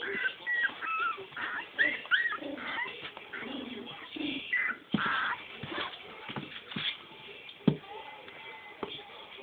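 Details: Four-week-old Cavalier King Charles Spaniel puppies, filmed on a phone, giving high whimpers and short yips in irregular bursts, with thin squeaky whines rising and falling amid soft rustling and faint background voices.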